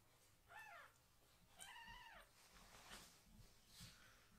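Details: Angry foster kitten protesting while its lower body is washed with shampoo: two clear rising-then-falling meows, the second longer and more drawn out, followed by softer squeaks and faint background noise.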